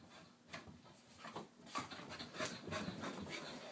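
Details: Harley, a female Wheaten Terrier, doing her morning exercises: quick, breathy, noisy panting bursts come about three times a second, uneven in spacing and loudness, with a few faint whimper-like tones.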